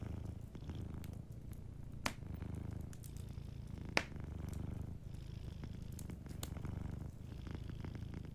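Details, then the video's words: Sleeping cat purring softly beside a crackling fireplace: a low, steady rumble pulsing in rhythmic waves, with occasional sharp pops and crackles from the fire. "Warm Fireplace Ambience with a Sleeping Cat 🐱💤Fireplace & Soft Purring"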